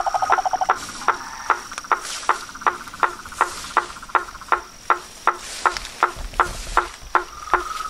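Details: Chorus of frogs and toads: sharp knocking notes repeated about every half second over a steady mid-pitched trill, with a faint high whine throughout.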